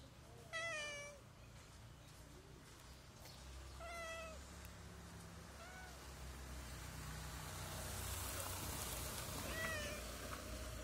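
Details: A street cat meows repeatedly, asking for food out of hunger.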